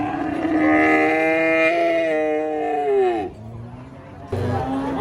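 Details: Giant cow turning wild during loading beneath a tree, giving a long, strained, wavering moo of about three seconds that sags in pitch at the end, followed by a brief pause and another low bellow beginning.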